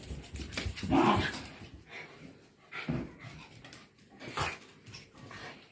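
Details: Soft, low-level sounds from two white Shiba Inus, Mochi and Kome, whose play fight stops when treats come into view: a brief whimpering tone near the start, then muffled grumbles and rustling.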